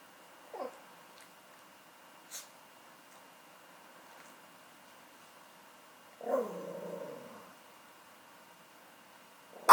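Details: Male chocolate-and-tan Chihuahua, a house pet, waking its owner in the morning on a day off: a short high yelp early on, then a drawn-out wavering whine around six seconds, in a quiet room.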